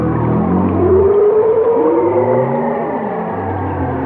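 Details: Whale song: a clear rising wail stands out over a bed of low moans and falling glides, voices overlapping in a continuous, loud, echoing chorus.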